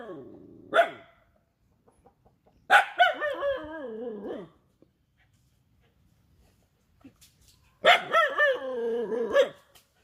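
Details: A Rajapalayam dog's barking comes in three bouts: a short single bark, then two longer bursts. These drawn-out, wavering barks slide downward in pitch into moaning tails, separated by quiet pauses.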